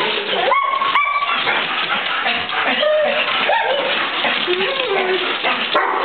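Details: Pet dogs, Golden Retrievers Maxie and Maya, Australian Shepherd Fidget and mutt Corduroy, excitedly welcoming their owner back after a week away; sharp yelps and sliding whimpers over a busy noisy background with a person talking.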